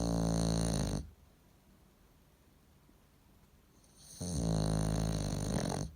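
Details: Pet bulldog snoring while asleep indoors: a loud, rasping, harmonic snore fades out after one second, quiet breathing follows, then another long rumbling snore begins near the four-second mark.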